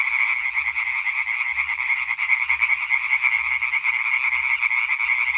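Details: Massed European tree frogs calling on 20 May 2023, rapid repeated croaks merging into a shrill, continuous rattling concert.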